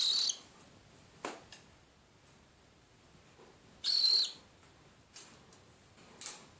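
Two harsh, hissing, high-pitched screeches about four seconds apart, each under half a second, with a few fainter raspy bursts between them in a quiet room.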